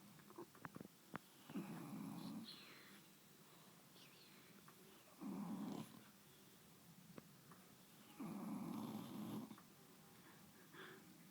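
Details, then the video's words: An English bulldog named Rosie, snuggled asleep on a bed, snores in low, rasping, drawn-out breaths about every three seconds. "Rosie the English bulldog snoring!!"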